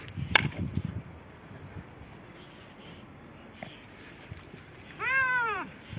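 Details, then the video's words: Fight between a white cat and a black cat: mostly low rustling and thumps, then one strong arched yowl lasting about half a second near the end. "One of the strongest fights between two cats, the white cat and the black cat"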